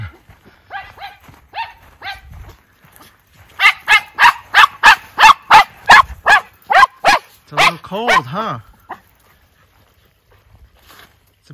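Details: Miniature Schnauzer brothers let outside at 14 degrees F after being cooped up for three weeks in Aroostook County, Maine, in December; soft yips first, then a fast run of about a dozen loud barks ending in a whining, wavering cry.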